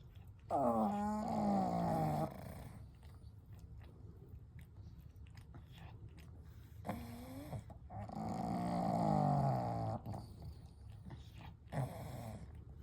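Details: Three sleeping pugs named Kou, Gen and Shun, resting together at night; drawn-out harmonic snores rise and fade at about 0.6–2.2 and 7–10 seconds, separated by soft breathing, with a brief snort near 12 seconds.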